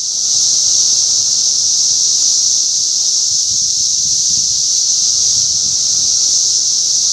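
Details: Continuous high, even buzzing drone from many periodical cicadas in a yard during the 2020 Northern Illinois sub-brood emergence, with no breaks and little else heard.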